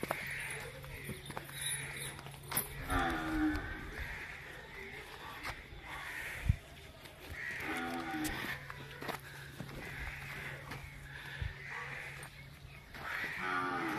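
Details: Nili-Ravi buffalo offered for sale in Pakistan, 23 October 2022: low, drawn-out moos rising out of a noisy scene with men talking in Punjabi and steady background hum.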